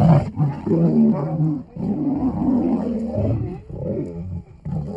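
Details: Wild lioness in Nairobi National Park, Kenya, rebuffing a male lion trying to mate with her beside the road. Continuous deep, rough growling and snarling in uneven surges, dipping briefly between bursts.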